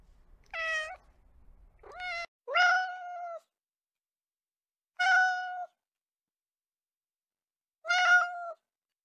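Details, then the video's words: House cat meowing repeatedly, five or so short harmonic calls with a slight downward bend, spaced two to three seconds apart in an otherwise silent indoor setting. "Realistic and relaxing cat sounds"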